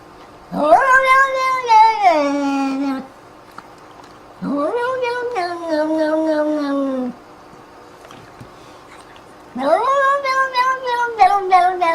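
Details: Cat giving three long drawn-out yowls, each about two to three seconds, starting with a rising note and then sliding slowly downward, separated by short silences indoors.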